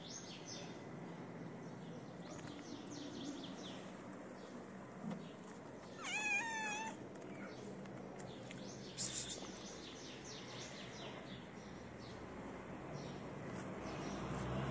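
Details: A feral, pregnant tabby cat, due to give birth in a few days, gives one short wavering meow of about a second while being fed outdoors; faint distant bird chirps and steady hiss beneath.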